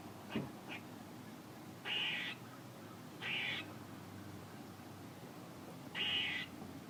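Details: Squirrel noises: two brief sharp chucks open, followed by three drawn-out buzzy, rasping notes spaced over several seconds.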